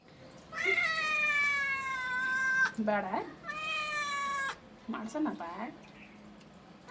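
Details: Cat meowing while being bathed indoors: two long, drawn-out, strained meows of about two seconds each, steady in pitch, with short lower wavering sounds between them.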